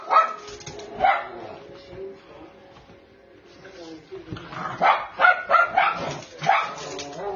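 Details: Male Cairn Terrier Twix, black brindle, aged 3-1/2, available for adoption in Maryland, barks in two bouts: two yaps at the start, then after a pause a faster cluster of five or six high barks, with a person talking.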